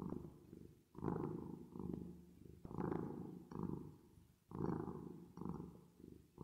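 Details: A resting cat purrs with artificial reverb added. The deep vibrating rumble comes in roughly six uneven breath-length surges, some longer and some clipped short, with soft dips between them.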